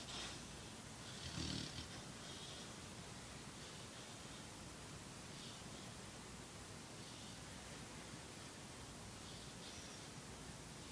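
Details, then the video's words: Black Labrador Retriever, six months old, snoring while asleep: soft, breathy rasps recur roughly every two seconds, with one louder snort early on, over a steady background hiss. "Dog Snoring"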